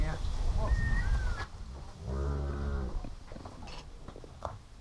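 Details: One of two registered Nelore breeding bulls, five years old, on Sítio Vitória farm in Paraná, Brazil, gives a short, deep, steady low moo lasting under a second, after people talking, with a thin bird whistle and rustling nearby.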